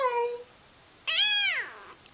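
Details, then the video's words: Indoor pet cat, a female called pretty and cutie, answers soft talk with a clear harmonic meow that holds steady then droops downward, following a woman's high-pitched baby talk. "Talking Kitty"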